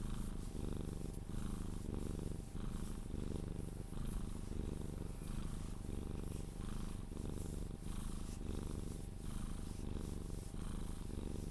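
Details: A Sphynx cat purrs steadily while being cuddled, a low rumbling vibration pulsing with each breath, as it drifts off to sleep.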